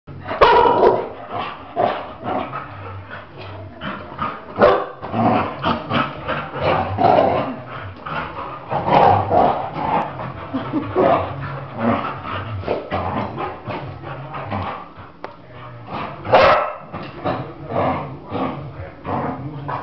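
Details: Labrador dogs, one agitated and turning on the other, making a dense run of rough barks and growling noises in quick bursts across the whole stretch, loudness rising and falling with the scuffle.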